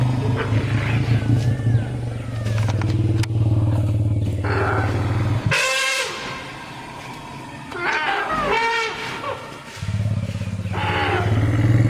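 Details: Captive family of elephants, including two calves four and five months old, screaming for joy as mothers and grandmother are released from chains; steady deep rumbling gives way to high harmonic screeches near six seconds and again around eight to nine, then rumbling resumes.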